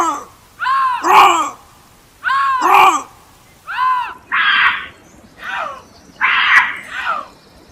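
A bobcat gives loud, harsh screams, each rising and falling in a strained, wavering arc.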